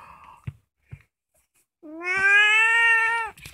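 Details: Orange female house cat, about two years old, recorded at home at night. A few soft taps in a quiet room lead into one loud, long, even meow held for about a second and a half.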